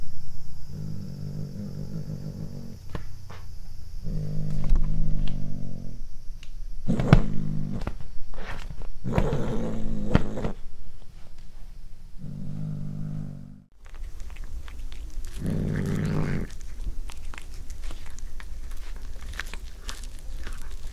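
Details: A cat tries corn for the first time, growling as it eats. Several short, deep growling bursts alternate with crisp chewing and crunching noises in a small indoor room.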